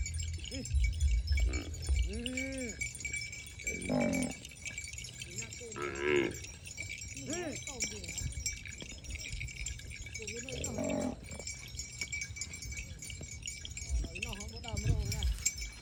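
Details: Cows grazing in the countryside during the rainy season, giving several short, rising-and-falling lowing calls spread through the recording, with a steady high tinkling of chimes and scattered rustling in the background.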